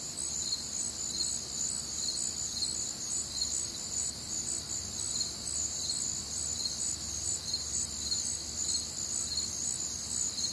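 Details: Crickets on a warm, humid Midwestern summer night, recorded as nature sounds: steady high pulsing trills layered in several bands, chirps repeating rapidly and evenly throughout, with a faint low background hum.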